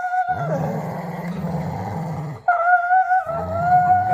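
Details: A dog playing tug gives a steady, low growl alongside a sustained, high, nasal whine that breaks briefly, then resumes over the continuing growl.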